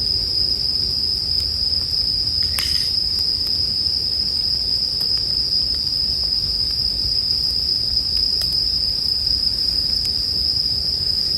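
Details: Bell crickets chirping, paired with a crackling bonfire for sleep ambience: a steady high shrill ringing tone holds throughout, with scattered pops and snaps of burning wood and a brief burst near the third second.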